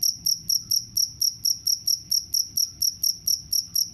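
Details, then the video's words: Sharp, ringing cricket chirps pulsing at about four to five per second, steady and uniform in loudness, with a quiet background. "The sound of crickets can repel mice"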